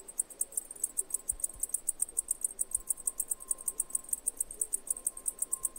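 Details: Cicada chirping in a steady run of sharp, very high-pitched pulses, roughly five per second and evenly spaced throughout, with a faint continuous low hum underneath.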